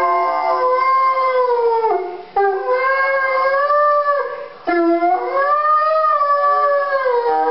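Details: Chesapeake Bay Retriever, a 10-month-old male, howls at Christmas time; three long quavering howls, each held steady then sliding down at the end, separated by short breaths, strongly harmonic and loud throughout.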